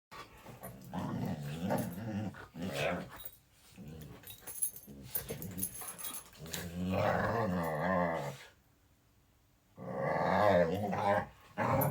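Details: Pet dog making low, moo-like bovine noises indoors in a small room: drawn-out groaning growls with wavering harmonics, in several bursts separated by short silences, the longest lasting about two seconds.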